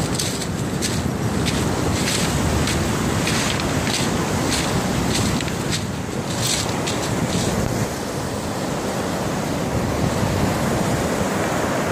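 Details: Strong wind buffeting the microphone over a steady roar of beach surf, with no animal sound.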